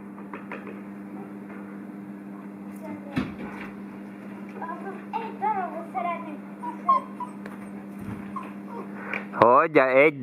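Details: Six-week-old Šarplaninac puppies being fed: scattered high, short squeaks and whimpers, then a loud wavering whine near the end, over a steady electrical hum with occasional knocks.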